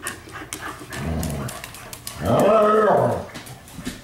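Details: Indoor night-time play between household pups; soft rustling and a low grumble, then a loud, harmonic, wavering growl-whine lasting about a second, with a woman's voice nearby.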